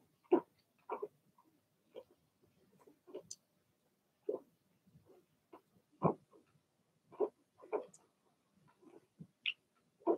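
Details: Blenheim Cavalier King Charles Spaniel puppies, a litter of six in an indoor puppy pen, giving short yappy barks and squeaks at irregular intervals, some higher whines mixed in, in a quiet small room.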